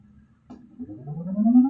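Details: Pet dog giving an annoying vocal sound: a low tonal whine that climbs steadily in pitch and grows louder over under two seconds, smooth and drawn out without breaks.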